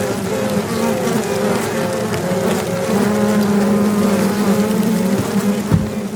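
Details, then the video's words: Queen honey bees piping inside a box, recorded with the camera microphone held up close, signalling their location so rival queens can find each other and fight; steady, droning toots in short runs over a constant colony hum. "Piping Queens"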